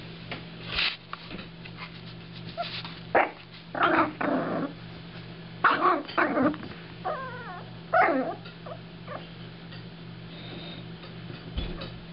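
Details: Seven-week-old female Jack Russell Terrier puppy stalking her kibble dinner, giving short scattered growly yips and whiny squeals in bursts every second or two, with a steady low hum indoors.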